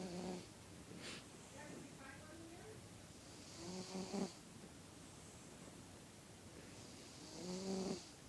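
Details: A sleeping cat snoring: three breathy, hissing snores about four seconds apart, each with a soft, low voiced tone, in an otherwise quiet room.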